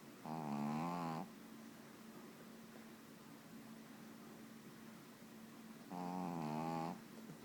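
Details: A sleeping pet dog snores in two drawn-out, vibrating, nasal rasps about five seconds apart, separated by quiet breathing and a faint steady hum.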